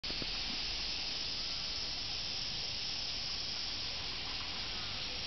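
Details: A dense, unbroken cicada chorus on 31 July 2007 at a shrine in Kamakura, Kanagawa, Japan, a steady high buzzing hiss that never pauses.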